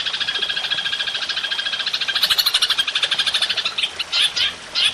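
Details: Golden grasshopper recorded to train songbirds: a rapid, rasping high trill of even pulses, ending in a few separate louder chirpy notes.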